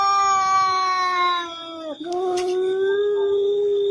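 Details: Domestic cat giving a long, drawn-out tonal yowl held steady for several seconds, dipping briefly in the middle and then carrying on at an even pitch.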